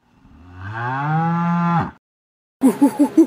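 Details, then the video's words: Cow lowing once in a long, deep, steady moo that ends abruptly. After a short silence comes a quick series of four rhythmic grunting pulses. "Horse, Elephant, Cat, Dog, Cow - Animal sounds"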